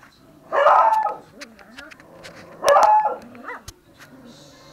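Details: Miniature Pinscher mix dog giving two sharp, loud barks about two seconds apart, with a short higher yelp-like note after the second and faint voices and small clicks in between.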